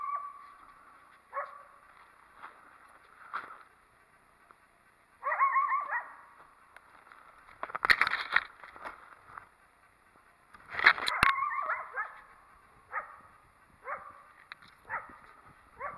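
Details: Coyote near a possibly active den area, unhappy with a person's presence, gives short harsh barks with wavering harmonic yelps, spaced irregularly every one to three seconds, with a few sharp clicks between.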